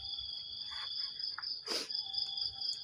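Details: Crickets trilling in the morning, a continuous high, even ringing drone, interrupted near the middle by a brief loud rustling noise and soft low sounds.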